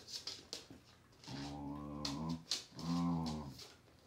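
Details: Thai Bangkaew dog mother teaching her puppy, heard as two quiet, low, drawn-out growling moans in a small room, each about a second long, preceded by soft scuffling.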